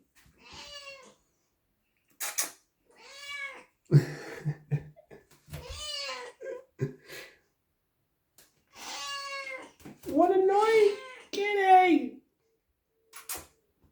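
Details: A domestic cat meows repeatedly, each call an arched, whining rise and fall; the owner asks whether it is hungry.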